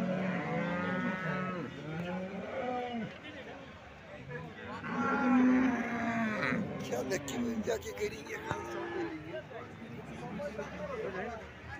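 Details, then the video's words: Cattle at the Alephata cow market on 21 March 2024, where some two hundred cows are shown and sold; several overlapping moos with low harmonic bands and bending contours, mixed with crowd chatter and background noise. "आळेफाटा गाय बाजार दिनांक 21 मार्च 2024 Live"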